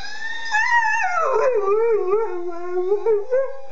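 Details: American Staffordshire Terrier imitating police and ambulance sirens: one sustained howl that starts high, slides steeply down, then wavers in a lower siren-like warble with small rises and dips.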